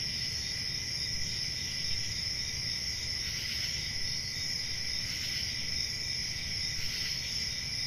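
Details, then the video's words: A steady wall of shrill cricket trilling with layered high tones that never pause. A faint low background rumble runs underneath. "Relaxing Cricket Sounds"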